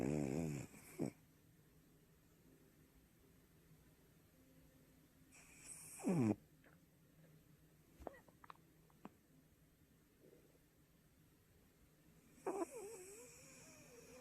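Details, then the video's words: Sleeping Shih Tzu puppy named Kong snoring at home: three rough, breathy snorts spaced roughly six seconds apart, each a short broadband burst with low throaty tone, separated by near-silent pauses and a few faint clicks. "시츄 강아지 코골이"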